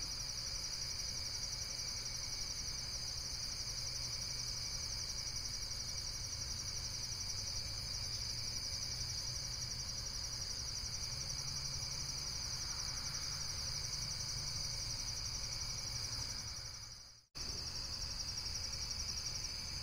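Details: Steady high insect trilling, pulsed and continuous, broken by a sudden brief cut to silence near the end before the same chorus resumes.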